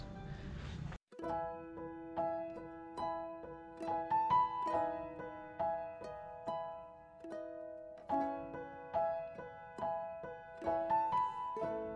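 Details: Plucked, harp-like instrumental music with bright repeating notes; no animal sound present.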